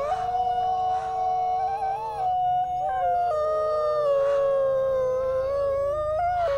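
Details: Two sibling gray wolves, captive-born at a New York conservation center, in a howl duet; sustained clear tones, one voice gliding slowly downward while the other shifts in steps, both held almost continuously.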